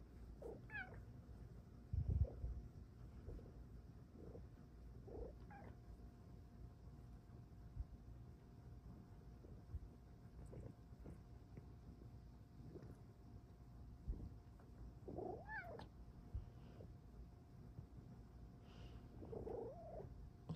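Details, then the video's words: Female pet cat indoors giving scattered soft meows between quiet stretches, each a brief rising-falling cry, about five across the stretch, over a steady low room hum, with occasional handling noise. "CUTE kitty has the BEST meows in town!"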